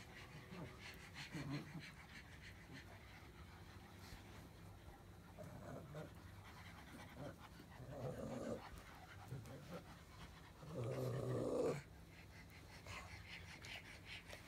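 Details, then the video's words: Pug grumble: a quiet, low snorting rumble, broken by two louder moaning bursts near eight and eleven seconds, the second lasting about a second. "Pug Grumble 4"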